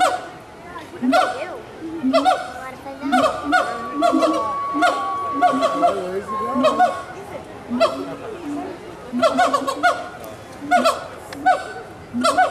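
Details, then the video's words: Gibbons calling to each other in captivity at Walt Disney World's Animal Kingdom, 2018: a dense run of hooting notes, then long, steady whistled tones, then rapid, excited hoots, with faint crowd murmur. "Gibbons Calling to Each Other"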